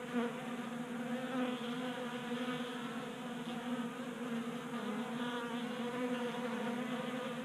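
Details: Constant multi-toned buzzing from a group of honey bees feasting at a table-top 3D printed feeder in Colorado, active in unseasonal January warmth; the drone wavers slightly as individual bees come and go.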